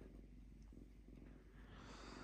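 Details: Calm lynx living in a house purring quietly, a low continuous pulsed rumble with even texture and a brief hiss of rustling near the end.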